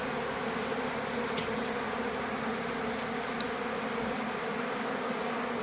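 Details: Crowd of bees fighting for water, an even, constant buzzing drone with faint ticks, no pauses across the short stretch.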